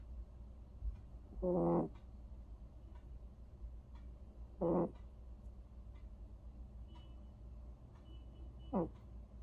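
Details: Vere, a sleeping cat, snoring in three short voiced breaths at uneven gaps of about three to four seconds, the last one sliding down in pitch, over a low constant hum.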